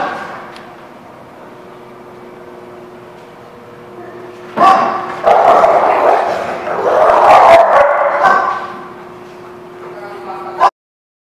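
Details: Recorded at The Barking Lot on February 17, 2017: after a quiet stretch with a low steady hum, dogs break into a loud burst of mixed barks lasting about six seconds, then fall quiet again.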